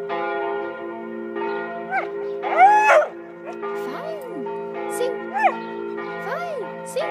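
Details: George, a Border Collie dog, howls like a wolf for the first time along with church bells in Tiergarten, Berlin. Rising-and-falling arched howls repeat over the steady ringing tones of the bells.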